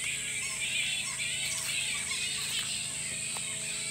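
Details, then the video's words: Large bat colony in a Sunshine Coast park in Queensland, Australia, up close: thick, busy squealing and chattering from many animals at once, over a continuous high whine. "Kolonia Nietoperzy Na Sunshine Coast W Queensland"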